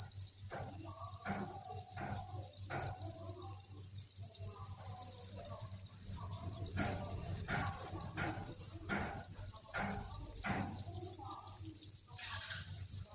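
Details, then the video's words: A steady, shrill massed chirping of farmed crickets fills a breeding facility holding thousands of insects; scattered dry clicks come in bursts early on and again after six seconds, over a faint low hum. "Cricket Chirping Sound"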